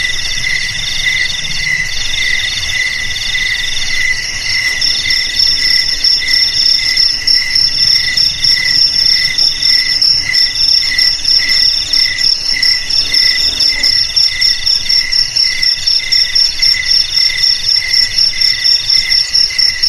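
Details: Chorus of crickets, kept as a rat-repelling sound for houses, garages, warehouses and rice fields: dense shrill trills at several pitches, pulsing about four times a second, growing louder after the first few seconds.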